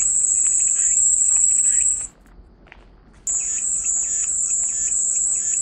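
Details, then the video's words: Cicadas buzz in a high, even drone, stop abruptly for about a second of near silence, then resume just as loud, with faint chirps underneath. "백색소음 마음이 평온해지는 매미소리"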